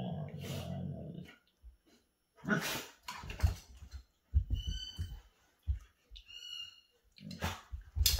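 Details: Play-fighting Alaskan Malamutes: a deep, drawn-out growl opens, then come rough huffs, snaps and gruff bursts mixed with thin high whines, with scuffling between the outbursts.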